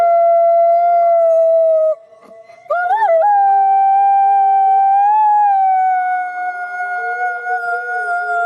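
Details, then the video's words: A forest wolf chorus holds long, level tones, with layered voices that break off briefly. The howls then resume with a quick wavering rise and settle into sustained notes while a lower voice joins near the end. "Самый страшный вой волка в лесу"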